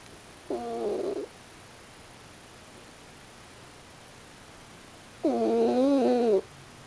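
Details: Raccoon dog Pochi snoring while asleep. A brief, softer tonal snore is followed after a four-second pause by a louder, wavering, harmonic snore lasting over a second. Breathing-paced and quiet between snores.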